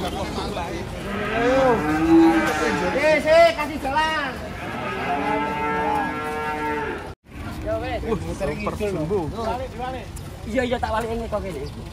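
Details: Huge cattle unloaded from a truck, raging, bellowing in a dense chorus of long harmonic moos with swooping arcs, a brief silent break midway, then more overlapping calls.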